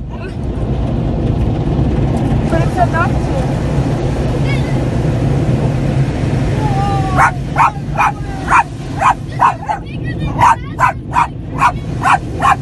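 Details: Pet Yorkshire Terrier on its first car wash trip, barking at the noise as evening falls; loud low rumble of the wash, brief speech, then a fast run of sharp barks roughly every half second.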